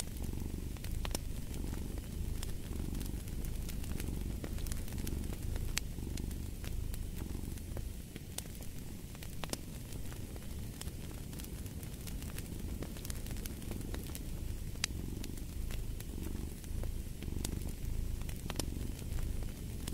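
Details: Domestic cat purring steadily in a low, rumbling drone, its rhythm blurred by the sharp snaps and pops of a crackling fireplace throughout.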